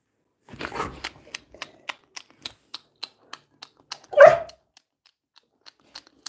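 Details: Coco the Labrador Retriever gives a short muffled sound, then a single sharp bark about four seconds in, between a steady series of faint ticking clicks while a woman talks to the dog in Bengali.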